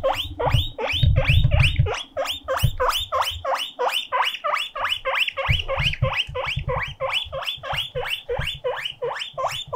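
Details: Mokohei the pet guinea pig calling loudly like a siren out of loneliness: steady, rapid rising squeals, about three a second, shrill and insistent, with bumping and thumping sounds underneath.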